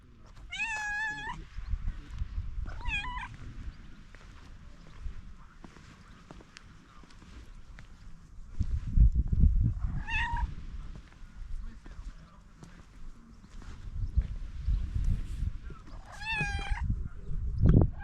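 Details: Stray cat meowing outdoors: four drawn-out, tonal meows, the first near the start, then around three seconds, ten seconds and sixteen seconds, each rich in harmonics and slightly rising then falling, over steady low rumbling background noise.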